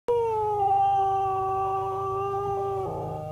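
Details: Cocker spaniel singing and making a lot of noise: a steady, sustained tonal howl held for about three seconds, slightly falling then dipping at the end, rich in harmonics.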